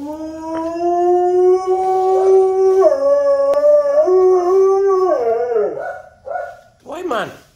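A husky gives a long, wavering, talk-like howl that rises and dips in pitch.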